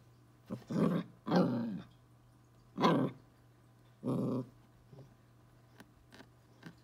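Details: A 12-week-old Corgi puppy squaring up to a bug gives four short, rough, growly barks over about four seconds, mid-pitched and harmonic, with gaps of up to a second, then only faint clicks and quiet.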